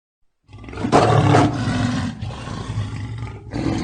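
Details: Lion roaring in a real recording, a loud, deep rumbling roar swelling in after a moment of silence, strongest early, then a slightly softer continued growl with a brief break near the end.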